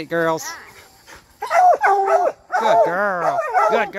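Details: Coonhounds, bluetick and black and tan, in training to hunt raccoons: a short steady tone, then a pause, then a run of arched, wavering bays with rich harmonics rising and falling in quick succession.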